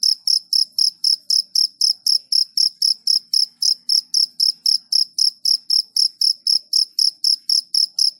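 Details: Rapid cricket chirps, bright and high-pitched, repeating evenly about four times a second over a quiet background.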